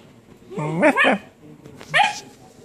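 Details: Basset Hound barking in a sleeping room, two quick, resonant barks followed after a pause by a third, rising and falling.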